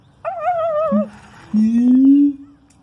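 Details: A siamang (Symphalangus syndactylus), inflating its throat sac, gives a wavering tonal hoot, then a deep resonant note sliding slowly upward.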